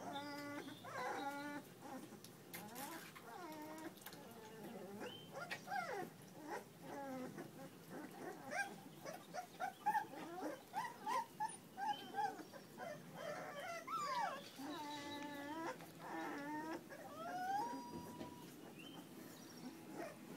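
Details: Puppies whimpering and whining: many short high whines, some rising and falling, others in quick broken bursts, overlapping through the whole stretch, several pups at once.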